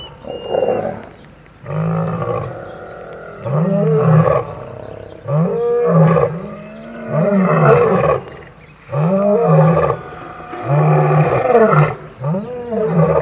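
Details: Old male lion clashing with young males over territory in Kruger National Park, near Kambaku River Lodge. Loud, harsh roaring snarls come in heavy surges roughly every two seconds, each broken by short gaps, over a quiet bush background.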